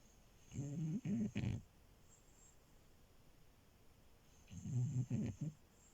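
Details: Sleeping French Bulldog puppy Milo, resting in bed, gives rough, low snores in two rattling bouts of about a second each with quiet breathing gaps between, set against faint indoor hiss.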